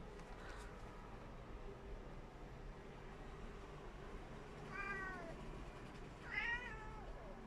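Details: Tabby cat making cute noises while wanting to catch a small fly; two brief bending meows, the second higher and sharper, over a quiet indoor hum.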